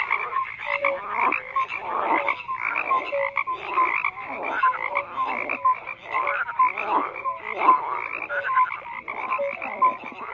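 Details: Chorus of croaking frogs: rhythmic rattling croaks repeated roughly twice a second, with short whistled notes mixed in. The calls pulse evenly throughout, and nothing else is heard.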